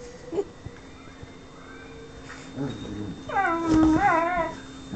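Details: A whippet pleads for affection from a companion who stays aloof, giving a drawn-out, wavering high whine with rich harmonics that rises and falls for over a second, preceded by a brief softer whimper, all in a quiet indoor room.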